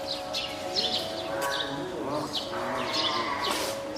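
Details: Hand-reared female spotted seal pup, born 19 April, at Oga Aquarium on 9 May 2017, calling loudly, seemingly to its keeper when hungry or wanting onto land. Wavering, harmonic cries rise and fall over repeated bright, clicking high bursts.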